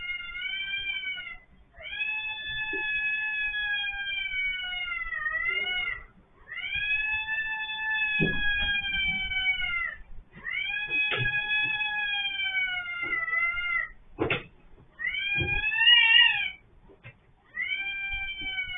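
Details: Orange domestic cat, head stuck in an automatic litter box, caught on CCTV: long, drawn-out harmonic meows, each sagging slightly at the end, repeated almost continuously with brief gaps and a few sharp clicks.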